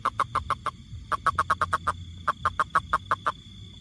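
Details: Three quick runs of loud, evenly spaced knocking pulses from a toad, about five to seven notes each, separated by short gaps, with a soft low rumble underneath.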